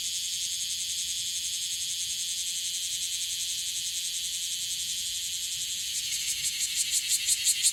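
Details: Cryptotympana facialis, the bear cicada, calling in Okinawa; a steady high buzz with faint pulsing that builds near the end into loud, evenly spaced rhythmic pulses growing stronger.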